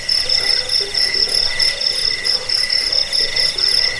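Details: Several crickets trilling, recorded for chasing off rats, falling asleep and teaching cage birds: piercing high pulsed chirps in steady layered bands, a slight murmur of lower sound underneath.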